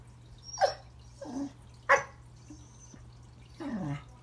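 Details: Remington, a Pembroke Welsh Corgi indoors at Christmas, tries to say hello to a new toy under the tree: four short yelping whines, the last a drawn-out falling whimper, over a steady low household hum.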